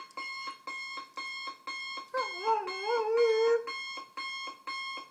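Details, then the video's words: A German Shorthaired Pointer, a male about 2 years old, gives a brief wavering howl at a steadily beeping morning alarm clock, which he hates and howls at until it is turned off. "German Shorthaired Pointer Dog Hates Alarm Clock"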